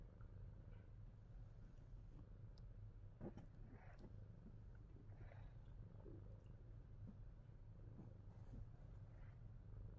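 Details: Himalayan Persian cat named Fat Boy purring: an even, low vibrating drone runs the whole way, broken now and then by soft brief scuffs or taps.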